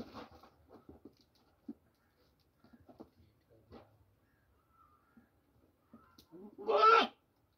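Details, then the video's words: Goat on a farm in Pakistan, one of two goats fighting over eating corn; after soft shuffling and chewing noises comes a single loud, harsh, human-like scream lasting under a second at the end. "Strangely Screaming Goat | Goat Sound"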